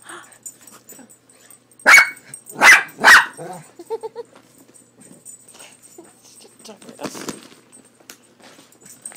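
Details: Frightened by a cat picture on a bag of cat food, the dog Leo barks three times in rapid succession, then softer whimpers follow amid faint voices.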